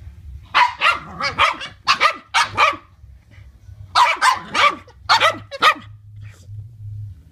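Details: Boston Terriers at play give sharp, bright barks in quick bursts of three or four.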